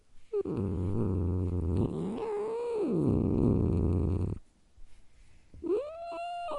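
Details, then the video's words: Cat's continuous low growl rises mid-way into a wailing, moaning yowl and sinks back into rumbling, breaks off after four seconds, then resumes with an arched, rising-and-falling howl. "cat growl"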